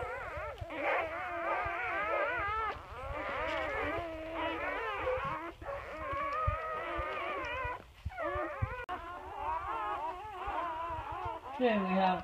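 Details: Newborn English Labrador Retriever puppies of Bubbles and Chubbers, a litter of seven males and two females in chocolate and black, dated 25 April 2016: constant wavering, rising-and-falling squeals from several pups at once, steady low hum behind.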